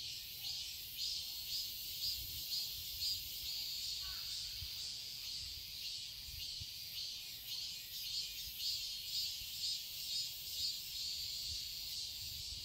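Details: Cicadas in a summer garden in Seoul, Korea, form a dense, hissing high-pitched drone that pulses and swells roughly twice a second, steady throughout with no other clear sounds.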